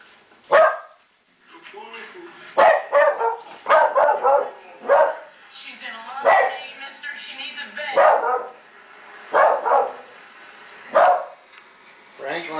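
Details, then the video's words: Corgi and Cairn Terrier cross dog, a pet indoors, barking at a film villain on screen: sharp single barks roughly every one to two seconds, ten or so in all, with film dialogue and music underneath. "Franklin doesn't like Buffalo Bill!"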